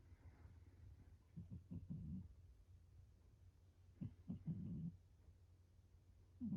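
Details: Domestic cat named Shiro asleep indoors, curled up on a round stool with its back turned, snoring: two clusters of rough, breathy low pulses, each lasting under a second, about two seconds apart, over a quiet room.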